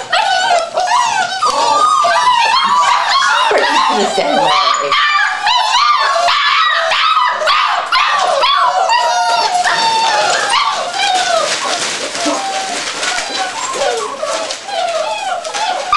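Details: Seven puppies almost six weeks old looking forward to meal time: a constant clamour of overlapping squeaky yips, whimpers and small barks, with a person's voice heard early on beneath the noisy litter.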